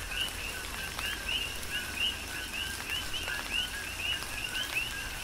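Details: Coqui frogs calling during a tropical rain shower on the Big Island of Hawaii: overlapping two-note calls, a steady lower note followed by an upswept higher note, repeated several times a second over steady rain hiss and scattered drips.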